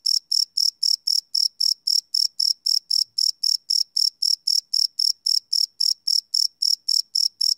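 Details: Night-time cricket chirps captured live on a field recorder, a bright shrill pulse repeated roughly four times a second in a regular, continuous rhythm, nothing else audible.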